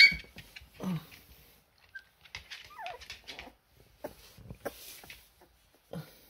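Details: Siberian Husky puppies trying their first steps indoors, giving brief high whimpers and squeaks, including one thin descending whine midway, scattered among scuffling and handling noises in a small room.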